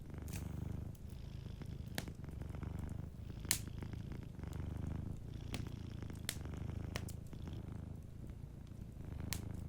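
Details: Soft, continuous purring from a sleeping cat, deep and throbbing, swelling and easing in breath-length cycles roughly every second, while a fire crackles with sudden snaps in the background.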